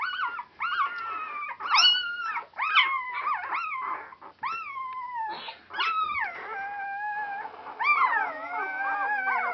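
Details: Four-day-old Border Collie puppies, a noisy litter, in a whelping setting on Super Sunday 2012; overlapping high whistled squeals and whines, each rising then sliding down, several pups calling at once with short gaps.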